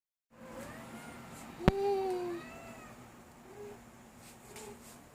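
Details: Two-year-old female Ragdoll cat indoors, playing with a ball; one drawn-out, level meow following a sharp click, then two faint short mews later.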